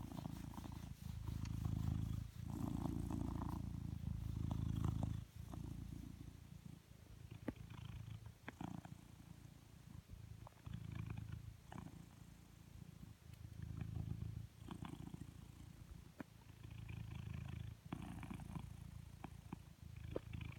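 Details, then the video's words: A blue British Shorthair cat purrs deeply and steadily, a low rumble swelling and fading with each breath. "Coconut. Blue British Shorthair. Purrr Machine"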